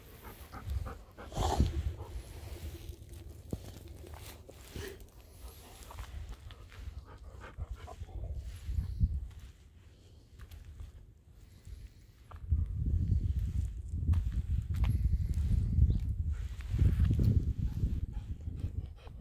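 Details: A Golden Retriever outdoors in fine, rain-free weather, waiting outside for an expected visitor, pants in low, rhythmic breathy bursts, several each second, with faint outdoor rustling.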